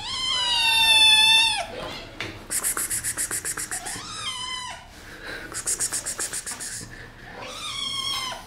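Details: Kittens playfully attacking their owner; three loud, long, falling meows spread across several seconds, between them two bursts of rapid, evenly pulsed high-pitched chirring or rattling, with rustling handling noise.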